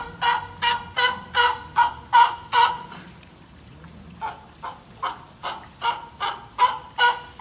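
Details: Captive California sea lions at a zoo in Nagoya, Japan: an older sibling and a female pup born in 2020, apparently playing around in the water. Hoarse, harmonic barks come in a quick run of about nine, then a pause, then another run of about eight.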